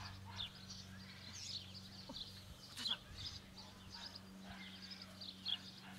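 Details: A female black-silver Miniature Schnauzer puppy, born 23 January 2015, gives thin, high squeaky whimpers in short bursts over a low mechanical hum.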